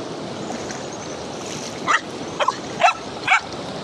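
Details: German Shepherd puppy attempting to cross a river gives four short, high-pitched yelps in quick succession near the end, each rising and falling briefly, over a steady wash of rushing water.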